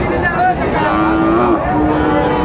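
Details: Sahiwal bull calves at Raniganj cattle market in Bogura, Bangladesh, on Thursday 13 March 2025; a low, steady moo holds for about half a second, with a shorter lower one after, over constant crowd chatter.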